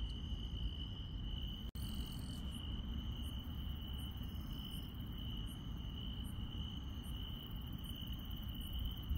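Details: Insects in the grass on a countryside night trill in a steady, high-pitched ringing drone, with faint quick ticks above, over low rumbling background noise.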